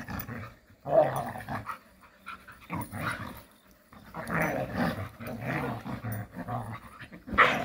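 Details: Jindo dogs playing happily together in the countryside, giving rough, throaty growls in bursts of one to two seconds separated by short quiet gaps, with a sharp higher yelp near the end.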